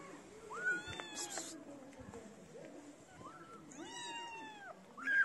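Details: Street kittens around a person feeding them. A few thin meows, one short and rising, then a longer curved cry near the end, over a low background murmur and brief noise.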